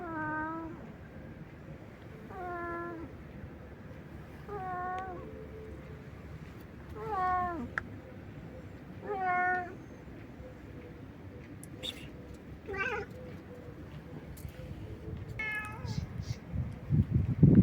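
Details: Stray cat calling nonstop for an unknown reason: around eight meows repeated every one to two seconds, several with a falling, drooping end, over low steady background noise that grows louder near the close.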